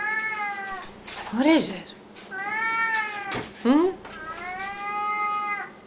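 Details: Hungry pet Siamese cats indoors at feeding time, fed three times a day; loud drawn-out harmonic meows with falling and rising tones, about three cries in six seconds, with short yowling squeaks between and a person speaking to them.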